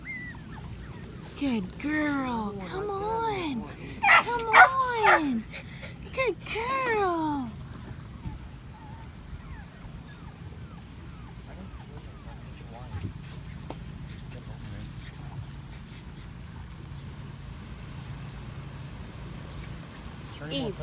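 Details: Litter of five-week-old Patterdale Terrier puppies in a homemade PVC-pipe earth tunnel. A burst of overlapping high whimpers, yips and wavering whines during the first seven seconds, then quieter stretches of coaxing speech and low background noise.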